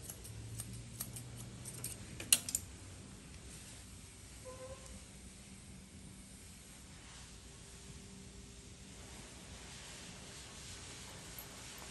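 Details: Quiet indoor room with jangling, clinking clicks early on and a couple of faint brief tones, with no animal voice.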